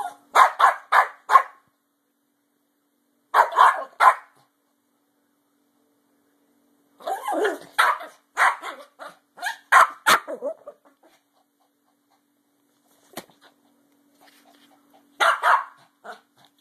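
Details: Travis, a dog dressed in a squirrel costume, barks in quick runs of three to five sharp barks separated by pauses of a couple of seconds, with a faint steady hum underneath.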